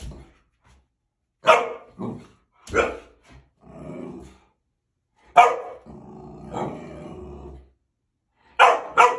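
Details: Male boxer dog Gabriel lets out loud, abrupt barks mixed with lower, rougher growly sounds, the barks coming in separated bursts across nine seconds.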